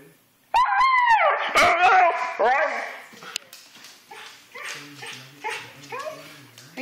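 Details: Excited husky before going to the dog park gives a long wavering harmonic howl for about two seconds, then shorter yowling whines repeated roughly every half second beneath a low hum.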